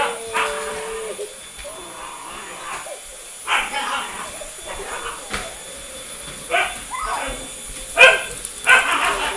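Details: Jasmine, a Bullmastiff Boxer mix dog, reacting to a sweeper: short, sharp barks in scattered bursts at irregular intervals over a steady background hum, with some voices mixed in.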